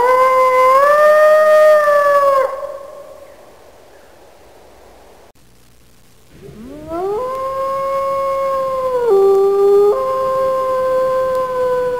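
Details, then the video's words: Wolf howling: a steady, tonal howl that bends downward and fades, then after a few seconds of quiet a second howl rises steeply and is held at a level pitch with a small step down near the end. "Animal sounds / WOLF"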